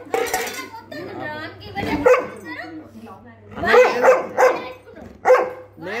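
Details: Labrador on a hunger strike, refusing its food, producing drawn-out, wavering, talk-like whines and groans that rise and fall in pitch. Several bursts come close together, with a steady low hum behind.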